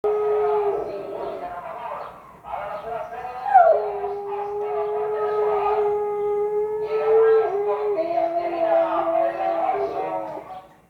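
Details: Siberian Husky howling, described as in pain and bothered by a sound; long sustained tonal howls with steady pitch and a drop near the end, overlapping a rough background sound throughout.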